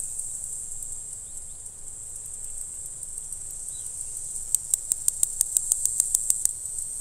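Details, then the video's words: A black-winged grass cicada (Mogannia formosana, Green Island form) sings in April on Green Island, Taiwan: a steady, high, hissing buzz, later broken by rapid sharp clicks. "黑翅草蟬（綠島型） 蟬鳴聲 / Mogannia formosana - Cicadas in Taiwan"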